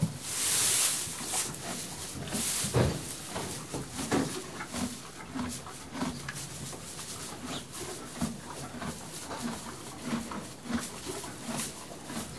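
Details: Stabled horse feeding on hay: a loud rustle of hay at the start, then regular crunchy chewing strokes about once a second with light shuffling in the background.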